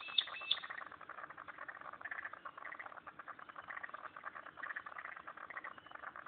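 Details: Frogs calling at a pond in Turner, ACT: a dense, continuous chorus of rapid clicking, rattling pulses in a mid-to-high register, swelling and fading in overlapping bursts, with two short high chirps right at the start.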